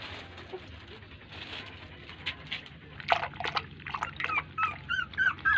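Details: Puppies crying as their mother dog ignores them and does not feed them. The first half is quiet, with a steady low hum. Short, high-pitched whimpers and squeaky whines follow from midway, growing louder and more frequent toward the end. Soft wet clicks are mixed in.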